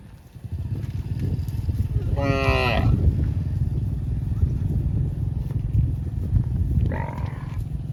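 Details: Cows roaming the fields, calling for friends: one loud, richly harmonic moo lasting under a second, then a shorter, fainter call near the end, over a constant low rumble.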